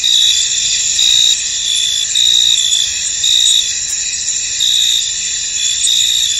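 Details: Chorus of crickets in a fog-covered field, with dense high-pitched trilling throughout and louder pulsed chirps rising about once a second over the constant buzz.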